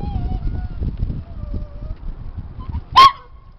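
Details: Daisy, a female Toy Poodle, whining while waiting for her owner outside Robo's snack counter in March 2014: thin, wavering high whines drawn out over a second, then a brief sharp yelp, with low rumbling background noise.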